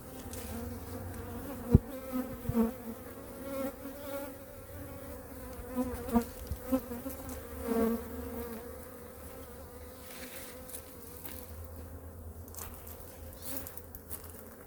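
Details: Honey bees in a wintering colony, hive #2, opened for a weekly checkup while food reserves are checked. A continuous low hum holds steady with an upper overtone, broken by scattered sharp knocks and clicks from hive handling.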